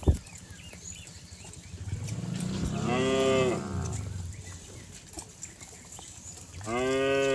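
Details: Village cattle bounding down a green hill, giving a deep, swelling moo in the middle followed by a second moo at the end, over a steady low rumble of hooves and outdoor noise.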